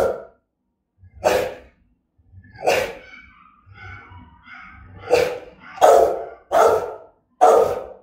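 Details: Threatening, aggressive barking from the Rottweiler Gervi Melsee: about seven deep, explosive barks, spaced irregularly at first, then coming faster, one roughly every second toward the end.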